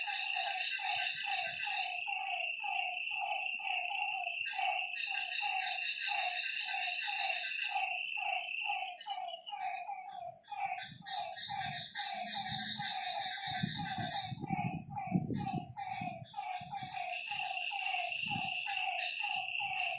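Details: Frogs at night near a lake, a busy chorus of quick repeated croaks about two per second, beneath pulsing high insect trills, with low knocking and rustling sounds in the second half.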